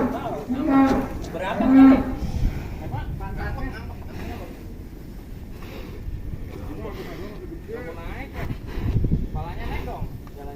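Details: Giant cattle from Indonesia, 2022, recorded in their pen: two loud, deep mooing calls in quick succession near the start, then quieter bellows and rustling with faint voices in the background.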